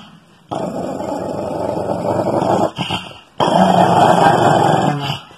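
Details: Female Shih Tzu growling in two long noisy rumbling bursts, the first about two and a half seconds, the second about two seconds, separated by a brief pause, with a faint human voice in the background.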